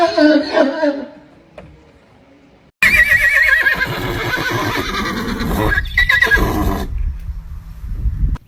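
A horse opens with a shaky, trembling whinny that rises and falls in pitch. A second, louder and shriller neigh follows, overlapping with people laughing, shouting and talking.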